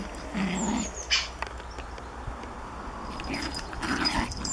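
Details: Japanese Chin puppy playing with a Collie: a short low whimpering growl, then a brief sharp yelp, with faint bird chirps in the background.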